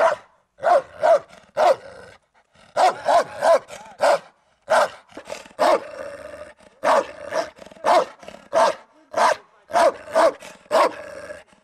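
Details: Turkmen Alabai, a Central Asian Shepherd Dog, defending territory in a guard test, giving steady bursts of heavy barks, two to four at a time, separated by brief gaps over about twelve seconds.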